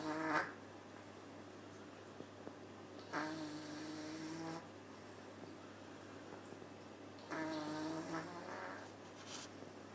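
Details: Sleeping cat named Maple at the Nyandoberu cat cafe snores steadily: three buzzy, humming snores spaced about four seconds apart, each a second or more long, with low room hum in between.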